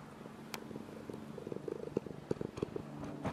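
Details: Soft purring from a domestic cat, one of a foster-home pair of male cats named Tsuki and Tamari, ten years apart in age, recorded during Golden Week in May 2011; quiet, rhythmic low pulses with faint clicks.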